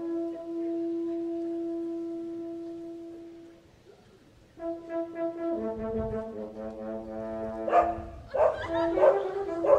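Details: Big dog barking on stage during the horn cadenza of a Haydn horn concerto at an open-air concert in Husum, Germany, June 21, 1983; it looked angry. Sustained horn notes come first, then loud barks break out over the horn near the end.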